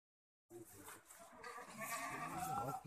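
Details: Boer goat on a goat development farm in Budhitola, Kailali, Nepal: a wavering, nasal bleat swells after a brief pause and grows louder toward the end, over a rough background of farm noise.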